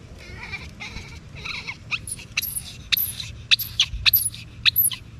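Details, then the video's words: Baby monkey crying after separation from its mother: harsh, high squealing cries in rapid bursts, growing louder and sharper toward the end, with soft low background hum. "Bayi monyet nangis terpisah dari induknya"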